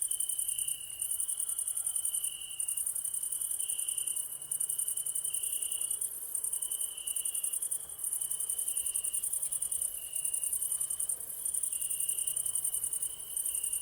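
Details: Evening chorus of crickets: an unbroken, piercing high-pitched drone with a second, lower trill that rises and breaks off in bursts lasting a second or two. Little else is heard.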